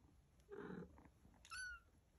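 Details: Mother cat and kittens playing, getting mad and hungry: a short hoarse, noisy cry comes first, then one clear meow with bright harmonics that slides downward over about a quarter second, against a quiet room.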